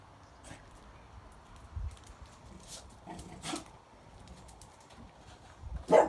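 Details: French bulldog sneezing at home: a few short, sharp snorting bursts spaced through the recording, the loudest at the very end, over quiet indoor background.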